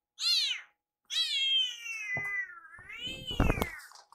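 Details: A rescued kitten gives a short high meow, then a longer drawn-out one, crying repeatedly around its carer in the kitchen to hurry its food.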